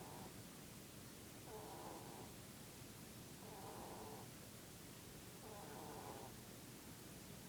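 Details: Snores from Mr. Keeks, a Dutch/Polish cross rabbit dozing in his Peep pose; soft buzzy bursts with faint squeaky overtones, each around three-quarters of a second, spaced roughly two seconds apart under a hissy background.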